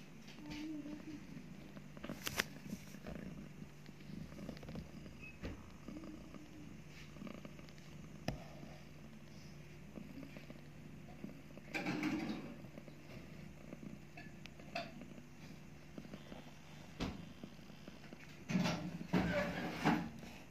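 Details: Mother cat purring steadily while nursing two newborn kittens just after giving birth; a continuous low rumbling hum runs throughout, broken by soft clicks, rustles and a few brief louder bursts of handling noise.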